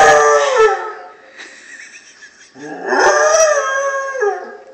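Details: A Basset Hound howling at an answering machine as it goes off gives two long, wavering howls with rich harmonics, separated by a brief pause.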